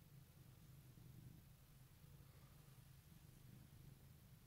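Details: Cat purring on a morning at Easter 2018, a faint, even low rumble with gentle breathing pulses and no other sounds.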